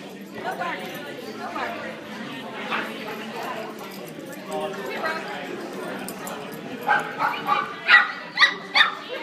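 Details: Pepsi, a dog at a dog social hour, barks to get a female dog's attention. People chat steadily throughout, and a burst of about five sharp barks, roughly half a second apart, comes in the final seconds.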